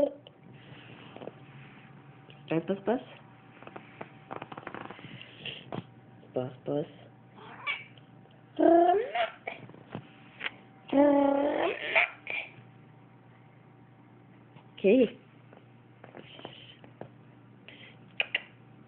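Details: A pet cat meowing indoors in reaction to its owner sneezing; several short harmonic meows, the loudest near the middle, mixed with a person's speech and sneezing sounds in a small room.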